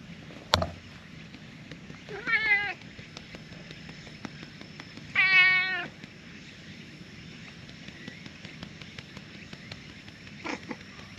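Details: Stray orange tabby cat that had been sleeping among tetrapods comes out happily on seeing a familiar face; two drawn-out, wavering meows about three seconds apart, with faint clicks and a low outdoor hum behind.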